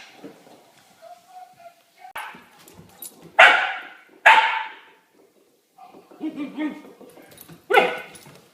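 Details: A dog in a funny little-dog compilation barks in sharp, loud bursts, a pair close together then a single later one, amid quieter yips and human voices talking in an indoor setting.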